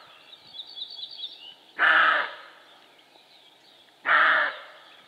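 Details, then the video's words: A roe deer buck (Capreolus capreolus) gives two hoarse, rasping barks about two seconds apart. "Stirnu āža "riešana" - "Лай" самца косули - Barking Roe Deer"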